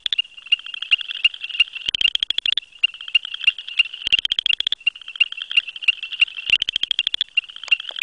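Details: Southern chorus frog male calling from below grasses, a silent satellite male or female nearby; longer ratchet-like pulsed trills every two seconds or so, interleaved with short clicking notes from neighbouring callers in a busy chorus.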